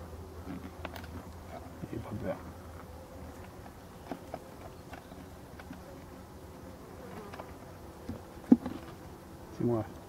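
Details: Black honey bees at an abandoned hive under restoration, giving a steady low humming drone throughout, with a few faint clicks and short sharp knocks near the end.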